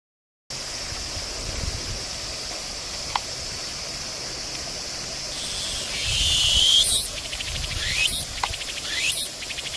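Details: Tsukutsukuboshi cicada singing on 29 August 2018 at Jūnichō-gata Suigō Park; a steady high shrill drone builds to louder, rhythmic pulsed phrases with rising sweeps, repeating roughly every second over the last few seconds.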